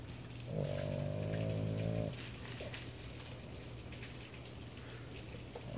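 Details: A Boston Terrier sleeping, sometimes with eyes open, gives one long, buzzy, droning snore like a grown man's, steady in pitch, over a low electrical hum.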